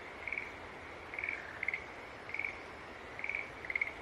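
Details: Green tree frogs trading short, pulsed high calls, several notes overlapping at uneven spacing, over a soft continuous hiss.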